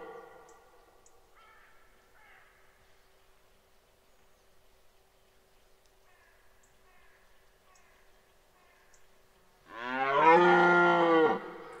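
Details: Red deer stag bellowing during the 2023 rut at Parc naturel de Boutissaint: near-silence with faint scattered calls, then one loud, harsh, deep roar rising in strength and lasting about two seconds at the end.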